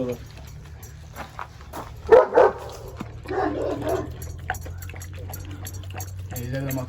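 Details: Anatolian Shepherd Dog giving two sharp, loud barks in quick succession early on, followed by people talking over a steady low hum.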